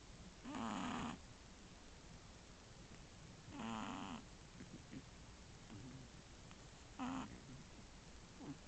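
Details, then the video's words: Shih Tzu puppy aged one month and three weeks, asleep beside its sisters, snoring; three soft breathy snores roughly three seconds apart, each a short burst with a low rumbling base, over a quiet room hiss. "Shih Tzu puppy snoring with sisters and one in REM"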